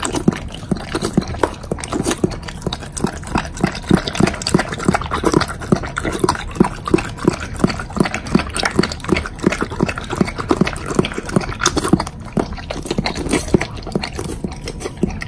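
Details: A Doberman eats dog food topped with bacon, chewing noisily with wet, crunchy bites and smacking in a rapid, steady rhythm.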